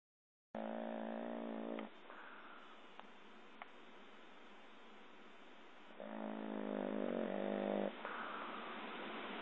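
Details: A sleeping dog snoring: two drawn-out, buzzy, harmonic snores roughly four seconds apart, with soft breathy rasping in between, recorded indoors at close range.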